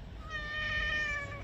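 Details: Pet cat during a bath, one drawn-out, even-pitched meow lasting about a second, clear and harmonic-rich, with faint room noise beneath.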